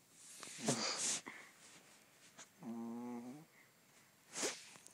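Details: Honey, a pet dog, gives a buzzy harmonic snore near the middle, framed by breathy huffs and sniffing noises before and after, indoors.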